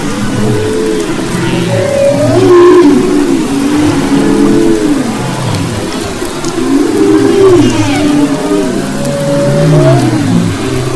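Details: Humpback whales off the west coast of Maui, February 2011, singing rising and falling moaning phrases, some swooping upward whistles, repeated in bursts with brief quieter gaps, over continuous low-frequency rumble.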